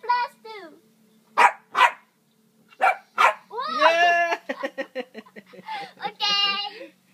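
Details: Shih Tzu yapping in high, clipped barks and a drawn-out whining bark, interleaved with a person speaking several words, over a low steady background hum.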